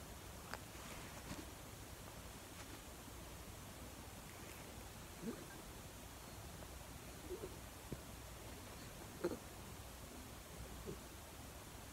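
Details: Faint steady hiss with a few soft isolated knocks and rustles, and no animal voice present.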